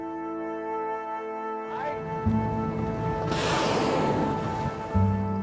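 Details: Layered music with steady tones and a swelling wash of sound, no animal voice heard.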